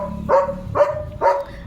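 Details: Leo, a pet German Shepherd, kept indoors and about to receive a new rubber chew toy, gives three evenly spaced short barks roughly every half second. Each bark is sharp and tonal, and a low hum runs underneath.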